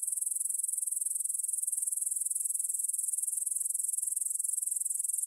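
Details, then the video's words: Evening meadow near Bryansk's Svensky monastery, Russia, 9pm, 6 September 2020: massed grasshoppers give a thin, sizzling stridulation, evenly pulsed about three and a half times per second, captured on a Tascam DR-44WL in stereo. "Grasshopper Sounds in the Field"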